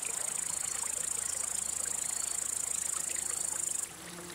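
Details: Male cricket rubbing its wings in song to attract or court females or scare rivals: a fast, evenly pulsed high trill that holds steady for nearly four seconds before cutting off.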